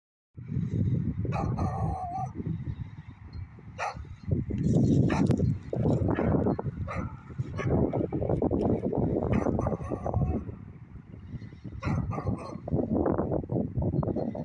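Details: Beagle barking in the evening, short harsh barks repeated in irregular bursts over a heavy low rumble that dominates the background.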